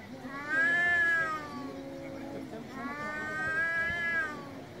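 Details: Angry domestic cat meowing loudly: two long, drawn-out harmonic meows, each rising and then sliding down. The second begins about two seconds after the first ends, over a quiet, steady background.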